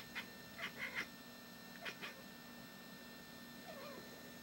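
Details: Housecat keeping watch over the yard, trying to drive off a bird with the 'bark' she learned from the family dog; quick staccato chirps in two clusters followed by a faint warbling trill, with a constant low hum underneath.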